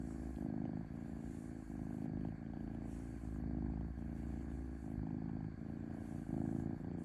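A domestic cat purrs in a low, steady rumble that swells and dips with each breath.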